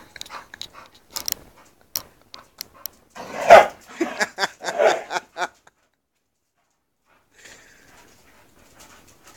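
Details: Female English Bull Terrier Mush, close to her second season, encountering the male dog Spike indoors; scattered clicks and scuffles lead to a cluster of loud, rough bark-like outbursts in the middle, then near silence.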